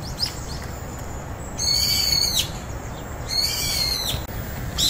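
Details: Two drawn-out, high-pitched arching meows from house cat Juhwang-i or stray cat Norang-i, newly moved in together, over a steady hiss.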